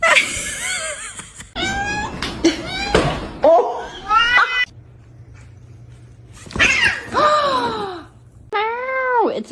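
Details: Cat indoors giving a string of drawn-out, arching meows, rising then falling, several in quick succession, with a quiet gap and a steady low hum before more long wailing meows.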